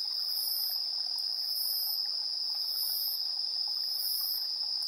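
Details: Chirping insects at 7:04 PM, recorded 3 September 2022 on a TASCAM Portacapture X8. A level, ringing trill continues without pause as higher rasping pulses arrive roughly every 1.2 seconds; no other animals or noises intrude.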